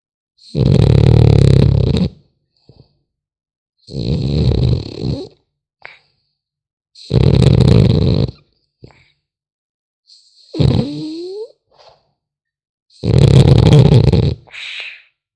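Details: French Bulldog puppy snoring while asleep. Loud, rough, rattling snores come every three seconds or so, each lasting over a second, with short soft snuffles and a brief squeaky wheeze between them.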